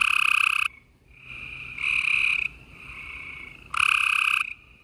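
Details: Gray treefrogs chorusing at night on April 28, 2020 in Houston, Texas, loud musical trills overlapping with fainter, more distant callers.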